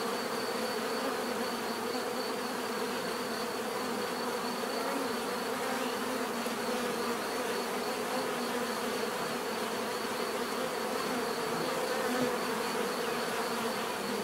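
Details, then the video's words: Bees humming in a steady, dense drone that never breaks, a broad buzzy wash with low hum bands and a faint high whine above, no other sounds. "bees therapy relaxing natural buzzing sound"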